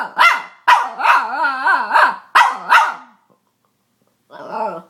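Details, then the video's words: Pet female Boston Terrier giving quick sharp barks that slide into drawn-out, warbling squeals, a cluster of bursts followed by a pause and one last softer whine. "Boston Terrier Weird Noises"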